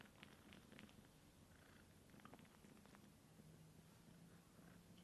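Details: Kitten Sunshine suckles dry from her aunt Divine, a cat with no kittens at the moment; a deep even purr continues throughout with a few light smacking clicks early on and a faint steady hum later.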